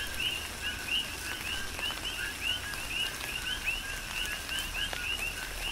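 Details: Coqui frogs calling together in tropical rain on Hawaii's Big Island: rapid, overlapping rising chirps, several per second, over a constant hiss of rainfall and occasional drops.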